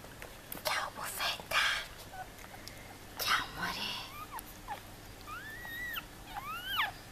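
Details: About five newborn Yorkshire Terrier puppies give thin, high squeaks that rise and fall over soft whispering.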